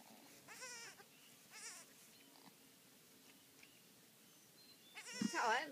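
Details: Newborn goat kids crying, several short wavering bleats around the start and a louder quavering cry near the end, with faint background noise.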